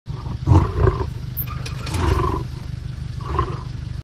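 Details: Lion roaring: deep, rumbling low-pitched bursts around half a second and again near two and three and a half seconds, with a sustained throaty groan between them over a low background rumble.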